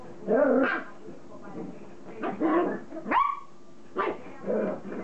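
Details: Border Collie puppies playing together: short rough growly bursts roughly every two seconds, layered harmonic yelps, and one sharp rising whine that levels into a thin held tone, with quiet indoor background.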